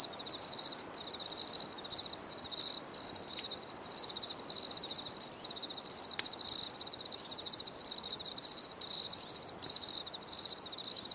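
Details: Grillons for relaxation: shrill rhythmic chirps about ninety per minute, high and pulsing, several crickets overlapping with soft clicks and low hiss behind.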